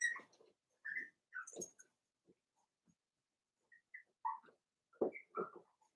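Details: Indoor pen holding Daisy's four-week-old Cavalier King Charles Spaniel puppies; short thin high whines and squeaks come in small bursts, with quiet gaps and soft low grunts between them.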